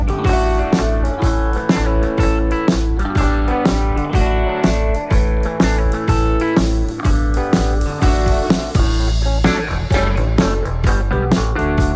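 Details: Loud blues-rock guitar music with a steady low beat throughout, and no animal sounds.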